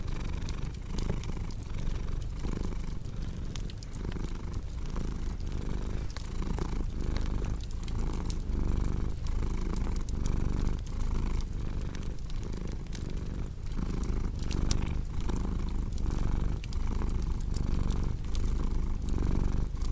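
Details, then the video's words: Domestic cat purring beside a crackling fireplace for sleep and relaxation: a steady deep rumbling purr that swells and eases in slow, regular breathing cycles, overlaid with frequent sharp pops and crackles of burning wood. "Purring Cat with Cozy Crackling Fireplace Sound"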